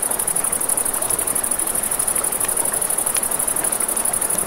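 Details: Crickets at night by a river, a continuous high, rapidly pulsing trill running steadily throughout, over a broad rushing wash of river water, with scattered sharp crackles from a campfire.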